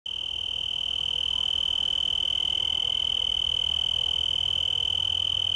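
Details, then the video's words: Male tree cricket, Oecanthus species, singing from a yucca leaf in Garden of the Gods park, Colorado Springs, Colorado, USA, on 24 September 2015: a steady, high, pure trill of very rapid even pulses, continuous throughout, over faint low background hum. "Male Tree Cricket Singing"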